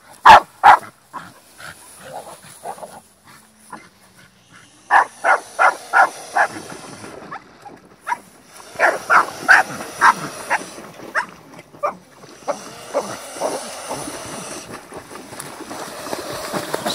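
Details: Staffordshire Bull Terrier during a fight: sharp, short barks, mostly single but in places in quick runs of several, some louder than others, with growling and scuffling noise between them toward the end.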